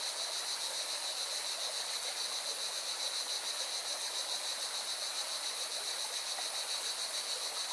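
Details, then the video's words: Continuous shrill cicada chorus at a mountain river in Valencia, Spain, droning without pause and gently throbbing, layered over the broad wash of the river's running water. "Певчие цикады и шум горной реки"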